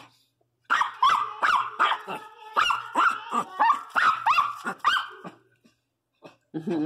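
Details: ['A Pinscher female, one month pregnant for the first time, gives a burst of about twelve quick, shrill barks over five seconds. The barks are clipped with whiny overtones, then fall quiet, with a faint sound at the end.']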